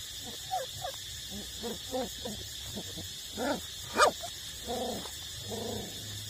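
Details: Nursing eight-week-old puppies whimper steadily, a string of short rising and falling whines with clear harmonics, one sharper yelp at four seconds, then longer drawn-out moans, all above a low hum.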